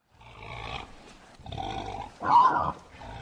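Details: Bornean bearded pig giving rough, broadband grunting bursts, four in about three seconds, the third loudest and most roaring.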